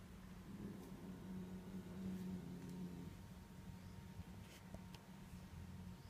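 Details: A Korat cat named Tiki rumbles a throaty warning at a stray cat in the garden. The deep, motor-like growl is strongest over the first three seconds, then fades to a quieter murmur with faint clicks.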